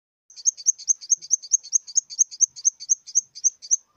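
A grasshopper gives a steady series of high, scratchy chirps, about seven to eight each second.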